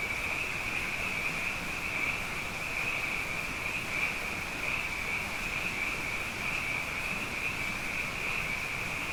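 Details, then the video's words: Many frogs singing night after night after two wet years: an unbroken high trilling wall of sound from countless overlapping callers, evenly loud throughout, over a soft low background hum. "Frog Songs: Na Mele o nā Paloka"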